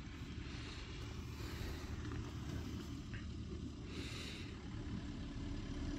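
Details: Steady low vehicle rumble with broadband hiss throughout, and no animal sound is heard.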